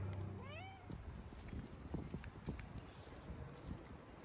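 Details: Hungry stray cats, a tabby and a ginger, fed on the street; one gives a single clear rising-then-falling meow early on, followed by soft rustling and low background rumble.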